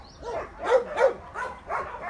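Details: Dog giving a quick run of four or five short barks, the middle two loudest, over a low background hum.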